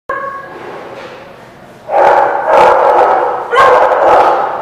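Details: Dog barking at The Barking Lot on 5/8/17: a faint steady tone first, then from about two seconds loud, harsh, broadband bark bursts follow closely, roughly two per second, over a noisy background.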